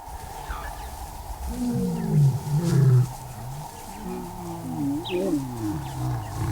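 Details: Lion pride in Moremi, Botswana, on the move through the bush after sensing rivals, calling to keep intruders out of territory: deep, low moaning roar grunts swelling between 1.5 and 3 seconds, then a second series of falling grunts, with steady insect hum.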